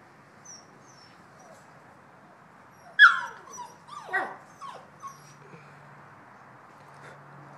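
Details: Bouvier des Flandres puppies aged 7.5 weeks, playful and complaining about a missing breakfast; a sudden loud yelp slides down into a whine, followed by several shorter falling whimpers over a few seconds, then a low hum.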